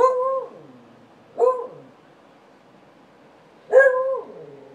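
A beagle gives three short, tonal barks, each ending in a falling, drawn-out tail.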